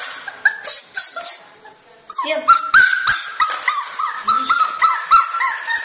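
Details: Two-month-old puppy Miu crying, starting with a few soft, scattered whimpers, then a brief pause before a louder, denser stretch of high, wavering whines and yips repeated several times a second.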